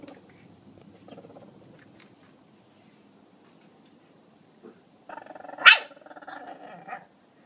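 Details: Pekingese named Maruko, pictured as the culprit who returned to the scene after an unripe tomato vanished. Quiet indoor rustling, then one sharp bark with a short harsh trailing burst near the end.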